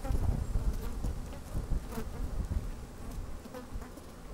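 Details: Honey bees busy at work inside an opened hive on a fine, sunny day, microphone slid down into the hive; dense low rumbling hum with crackling taps and rustles as bees move about, strong low-frequency thumps possibly from wind.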